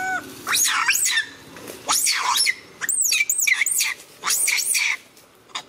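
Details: Handa, a monkey whose baby Handy was snatched by a young monkey, crying loudly: high, shrill, wavering screams in long sustained bouts of about a second each, separated by brief pauses.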